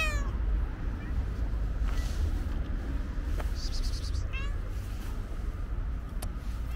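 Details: Calico cat with white paws and other stray cats at feeding time; faint, brief meows at the start, in the middle and at the end, partly masked by steady low-pitched noise and light clicks.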